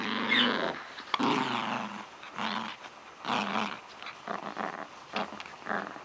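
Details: Domestic dog growling while playing with a toy indoors: rough, throaty growls in bursts lasting about half a second to a second, with short gaps, some louder rasping snarls near the start.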